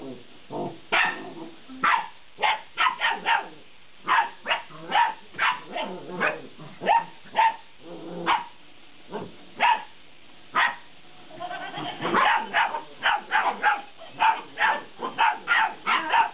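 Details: Several 50-day-old Belgian Malinois puppies barking while playing with a laughing cat toy, a nearly continuous run of shrill yaps and yips, irregularly spaced and growing denser and more overlapping toward the end.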